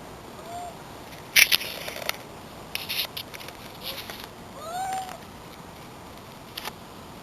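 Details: A familiar white pet cat sneezes, apparently sending something flying: one sharp explosive burst early on, followed by several softer snuffling bursts and a few faint, short, rising-falling mewing sounds against a quiet indoor background.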